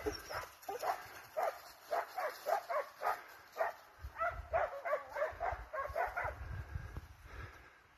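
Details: Hunting hounds and Russo-European Laikas on a wild boar chase, giving a steady run of sharp barks about twice per second, mid-pitched and ringing, over a faint hiss and low rumble.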